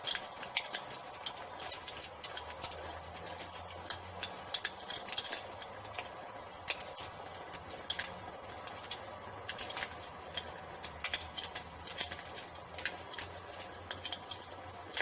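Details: Evening soundscape by a fireplace with crickets: one continuous shrill, high trill holds steady beneath frequent snapping crackles of the fire, with a faint low rumble at times.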